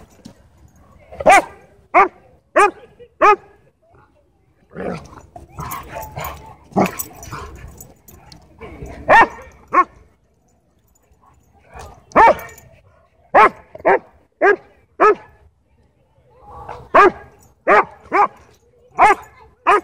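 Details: Dog park play interrupted by a dogfight: clusters of sharp, bright barks in quick bursts of three to five, with a noisy scuffling stretch between five and ten seconds and a brief pause.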